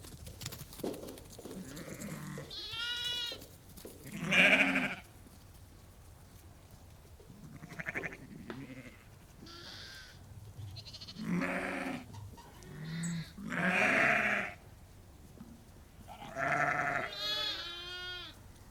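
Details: About 30 to 50 ewes and lambs on a sheep farm bleat back and forth, mixing deep wavering calls with thin, quavering high-pitched cries.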